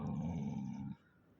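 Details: Golden Retriever caught stealing a slipper gives a deep, even, rumbling growl of just under a second that stops abruptly, with a faint higher whine-like tone above it.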